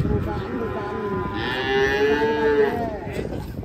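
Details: A cow lowing as cattle come down off a truck: one sustained, slightly rising moo lasting over a second, with rumbling noise and voices behind it.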